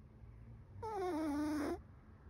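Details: Loud snore from Chocolate, a sleeping seven-month-old Chihuahua: one drawn-out, whistly nasal tone lasting about a second, gliding steadily lower before cutting off, in a quiet room.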